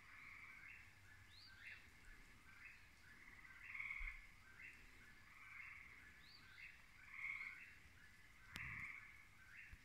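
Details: In the evening, gray treefrogs (Hyla versicolor) give short, musical advertisement trills that rise and fade over a soft chorus, with a whip-poor-will also in the recording.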